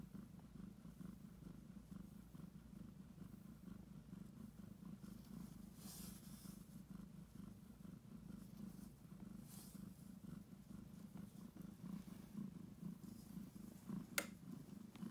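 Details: Heavy purring from Annie, a domestic cat on the verge of giving birth and kneading the air; an unbroken low rumbling purr holds steady for the whole stretch, with a faint rustle and one brief click near the end.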